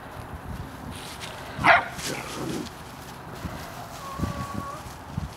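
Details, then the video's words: Airedale Terrier puppies barking at a mule while playing and seeking attention: a single sharp, high puppy bark, then a faint thin whine over soft outdoor background noise. "Airedale Puppies barking at a Mule"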